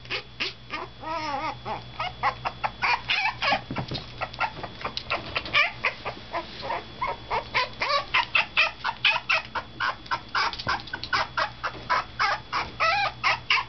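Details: Toy Poodle puppy on its fifth day in a new home, crying loudly while an older resident dog watches; rapid, high, arching yelps and whines repeat several times a second over a steady low hum.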